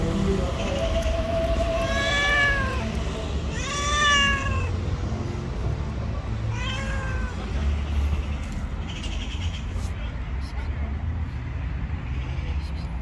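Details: White female street cat, described as angry and jealous, utters three loud plaintive meows roughly two seconds apart, each bending up then down, followed by quieter background with faint traffic hum.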